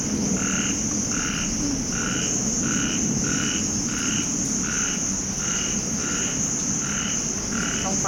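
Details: A small frog at night after heavy rain with pooled water and thunder in Thailand gives short, two-toned croaks, repeated steadily about every two-thirds of a second.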